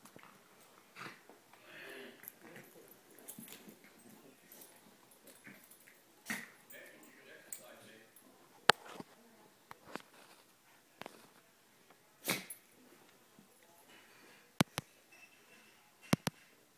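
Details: Toy Rat Terrier and Miniature Schnauzer, Schnickers and Leo, playing indoors; soft whimpers and snuffling between a few sharp clicks and knocks, with human voices talking in the background.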